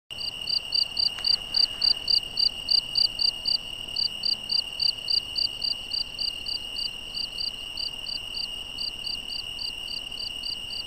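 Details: Crickets at night in the Algarve, Portugal, recorded during wildlife filming of a European badger: short bright chirps repeated about three to four per second over a steady high continuous hum, pulses briefly pausing now and then.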